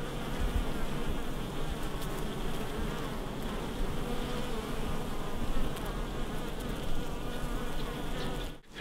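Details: Steady droning hum of many honey bees at a hive just before honey harvest, continuous low buzzing throughout with scattered clicks and crackles of handling, ending in a short knock.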